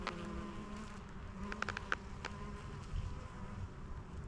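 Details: Honey bees collecting nectar and pollen from white lavender, buzzing as a low steady hum with faint overtones, wavering in pitch, broken by sharp clicking squeaks from leather beekeeping gloves.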